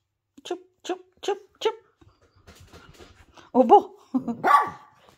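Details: Poodle giving four short, high, whining whimpers in quick succession, each with a rising tonal edge, followed by a woman talking indoors as more dog sounds mix with her speech.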